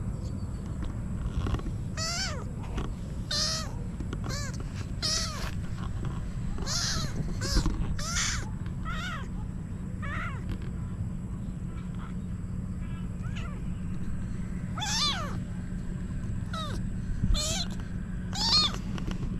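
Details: Female kitten meowing insistently, likely wanting to climb on top of her owner; many rapid, rising-falling mews in bursts, some bright and strained, with a steady low hum underneath.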